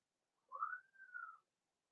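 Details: Cavalier King Charles Spaniel puppy, four weeks old, indoors in a puppy pen during socializing with adult dogs: one drawn-out, thin whine that rises and then slowly falls, with a brief dip in the middle.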